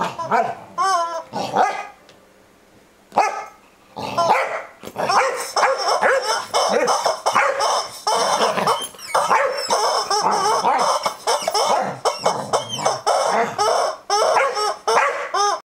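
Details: Saba, a Corgi, barking at a screaming chicken toy; loud, sharp barks and yips come in quick bursts, then a long run of rapid barking mixed with the toy's shrill squawks.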